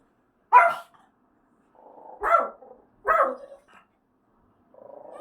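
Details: House dog reacting to a staged apartment fire-drill siren: three sharp, harsh barks about a second apart, each fading into a brief growl, while a buzzing siren tone hums between and after them.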